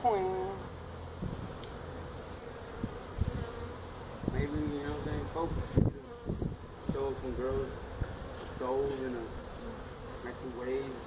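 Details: Feral honey bee colony that built its hive inside a tractor tire in a stack of tires at a citrus orchard in Mission, Texas, disturbed during hive removal; low steady droning hum with human voices talking over it.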